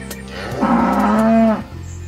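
A cow gives a single steady moo, a low harmonic tone held for about a second.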